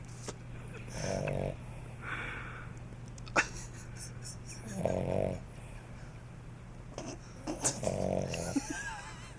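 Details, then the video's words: Rambo the puppy sleeps very heavily and snores loudly: three rasping, breathy snores come roughly every three to four seconds over a steady low indoor hum. "The Snoring Puppy"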